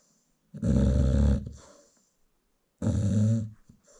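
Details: American Bully mother asleep while nursing her newborn puppies indoors in South Africa; two long, deep, rasping snores, each just under a second, the second following about two seconds after the first, with silence between.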